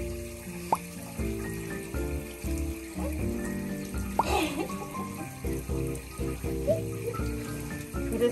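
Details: Steady instrumental background music plays over a running tap and splashing water in a sink.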